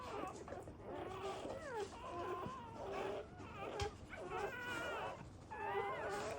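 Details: Newborn puppies from a black Labrador Retriever's first litter, given emergency CPR to revive them after birth; thin, high whimpering squeals that slide up and down in short bursts, with steady background hum throughout.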